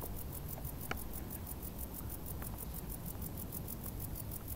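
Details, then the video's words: High, regular cricket chirps, about four or five pulses per second, rise from tall summer grass above a steady low noisy hum and an occasional click. "Grilli | suoni dall'erba alta"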